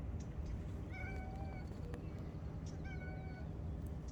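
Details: Grey and white domestic cat meowing: two drawn-out, level, slightly wavering meows about two seconds apart, over heavy low rumbling background noise and faint clicks.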